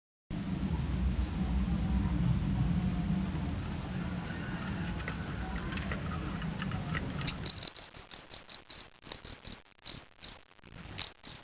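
A fighting cricket chirps shrilly, first steadily over low rumbling, then in sharp separate pulses.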